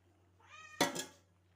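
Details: Cat meowing as someone talks in Malayalam about milk; a clear harmonic meow rises and swells, then ends in a sharp, loud burst, with a constant low hum underneath.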